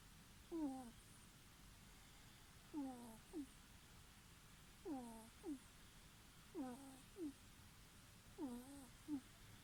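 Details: Sleeping ferret snores with a breathy, downward-gliding squeak followed by a shorter second squeak, the pair returning roughly every two seconds against quiet room hiss.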